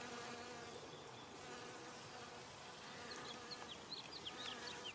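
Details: Humming of a honey bee collecting nectar at flowers: a continuous droning buzz held throughout, joined in the second half by a string of quick high twittering bird notes.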